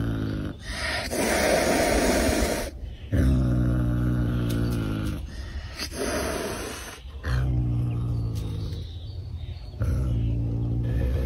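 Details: Caracal named Pumba hissing to protect a friend: a series of long, harsh, breathy hisses with a low growling undertone, each lasting one to three seconds and separated by brief pauses.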